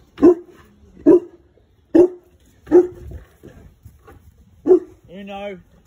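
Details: Boerboel barking, five deep single barks roughly a second apart, followed by a brief higher-pitched harmonic sound at the end.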